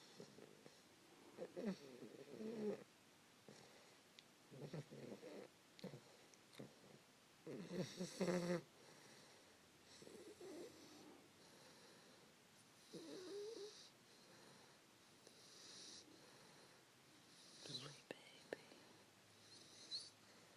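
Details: Sleeping 3-month-old English Bulldog Fannie, snuggled in bed around 5 AM, gives uneven snuffly snores and rasping breaths, with a louder burst near the middle and quieter pauses between, indoors and otherwise still.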